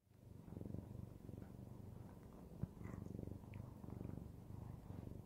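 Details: A male Siamese cat purrs steadily, a low rumbling throb pulsing several times a second, while kneading the air.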